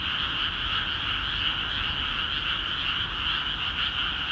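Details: ['Many frogs croaking together in freshly flooded rice fields of Akiha Ward, a continuous buzzing wall of calls with slight pulsing and no pauses.']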